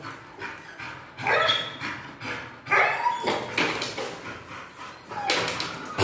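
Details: A Pit Bull gives short, sharp yelping barks and whines in bursts near one and a quarter, two and three-quarter, and five seconds, separated by rustling and handling noise, with Spanish-speaking voices around.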